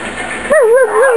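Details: Biscuit, a pet Chihuahua, howling: after half a second of muffled background noise, a clear tonal howl wavers up and down in a steady, sing-song line with bright overtones above it.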